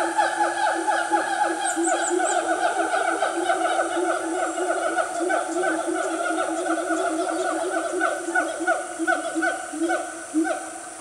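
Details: Loud family of siamangs in Gunung Nuang forest, Selangor, Malaysia, on a cool morning near 10 am: dense overlapping barks and swooping whoops in rapid succession, a sustained chorus over high-pitched insect hiss.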